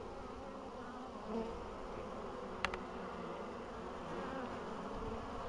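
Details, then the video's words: Bees in Poland on 14 April 2013, in spring after a long winter, with the colonies through the winter well. A soft, steady, low buzzing hum runs throughout, with a brief click near the middle. "Pszczoły, 14 kwietnia 2013"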